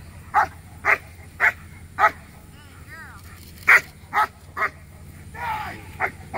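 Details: At a Working Dogs of America protection competition, Letty von Prufenpuden, a black German Shepherd aged 15 months, performs a P1 routine. Sharp single barks repeat about every half second, with a brief gap and a softer drawn-out sound near the end.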